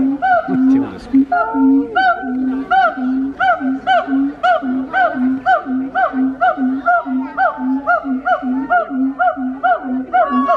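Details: A siamang gives its wake-up call, a loud series of resonant, hooting barks with each note rising and falling in pitch.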